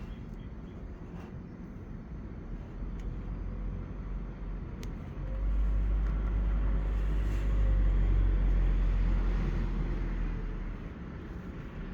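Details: Steady low road and vehicle rumble that swells between five and ten seconds, with a few faint clicks and no animal calls.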